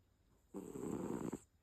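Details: A cat snoring: one breathy, rasping snore lasting just under a second, a noisy low-to-mid rumble that starts abruptly and fades out, with a faint steady high hiss in the background.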